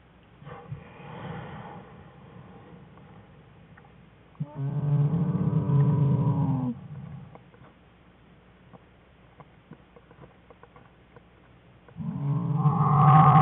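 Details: Inside a bear den in February 2013, American black bear cubs play while their mother joins in; two long, low droning cries with stacked harmonics, separated by a stretch of faint rustling and murmurs.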